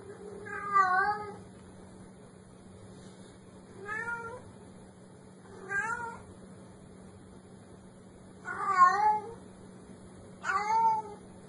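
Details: Kitten meowing five times across about eleven seconds, each short, wavering and nasal, separated by pauses of roughly two seconds, over a faint steady hum.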